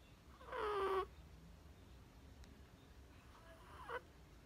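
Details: Sleeping Chihuahua puppy Perchik snoring, recorded 12 October 2020: one loud breathy snore carrying a high whistling tone that slides downward, then a much fainter snort about three seconds later in a quiet room.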